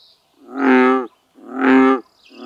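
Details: American bullfrog in lily pads producing two full booming bellow notes of about 0.7 seconds each, a second apart, then the start of a third; a faint high whistle sounds at the edges.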